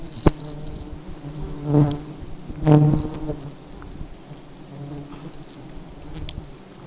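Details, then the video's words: Highly aggressive honey bees: two loud, droning buzzes swell and fade as bees fly close past, each lasting about half a second, over a soft background hum and a sharp tap at the start. "Lebah Madu Sangat Agresif"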